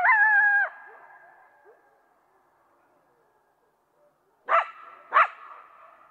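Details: Coyote gives a short, steady, flat howl that ends abruptly, followed by a long pause and two sharp, loud barks in quick succession.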